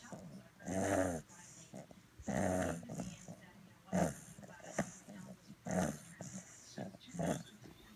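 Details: Purebred fawn English Bulldog pup, aged ten weeks, dozing and snoring: harsh, nasal, grumbling inhalations recur irregularly every one to two seconds, some long and rattling, others brief and snuffly, in a quiet indoor space.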